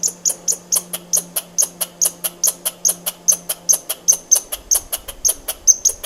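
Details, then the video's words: Squirrel calling in a rapid, steady train of sharp, high clicking chirps, roughly two to three per second, each with a thin whistled edge, over a faint low hum that fades out partway through. "Squirrel sound"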